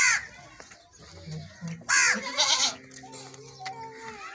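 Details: A goat being milked lets out two strong, shaky bleats near the start and middle, while people chat and a low steady hum runs underneath.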